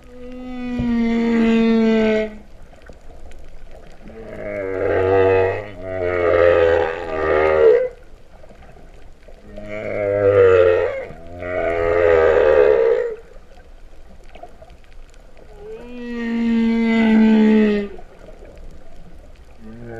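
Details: Humpback whales recorded underwater at Vava'u, Kingdom of Tonga, in September 2015, their song likened to cattle lowing: long tonal moans with rich harmonics alternating with pulsed, buzzy double moans, phrases separated by short quiet gaps.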